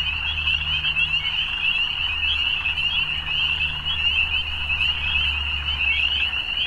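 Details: Frogs calling in the evening: a dense, unbroken chorus of high, rattling trills blending into one steady shimmering band, with a low rumbling hum underneath throughout.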